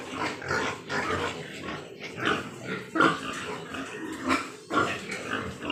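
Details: Large White Yorkshire breed pigs on a farm in Nadia, West Bengal: irregular rough grunts and a few sharper squeals, spaced unevenly over a murmuring background of other pigs.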